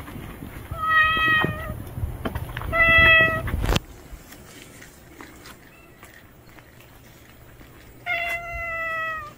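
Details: Newly arrived strange tomcat, a stray, meows three times: two loud harmonic calls a second or two apart, a quiet pause with faint distant sounds, then a final falling meow; low hum underneath.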